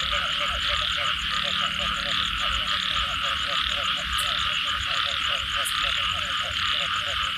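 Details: Frogs calling after rain form a dense chorus. Rhythmic, knocking croaks repeat in quick groups beneath a steady shrill trilling wash. Two brief sharp high clicks stand out near the middle.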